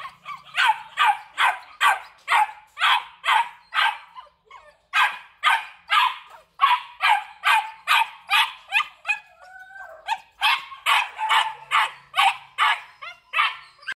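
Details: Rapid barking from a male Belgian Malinois, black and red-black, bred at a kennel in Vietnam. About thirty sharp barks run in fast volleys, broken by two brief pauses, with a thin whining tone slipping in midway.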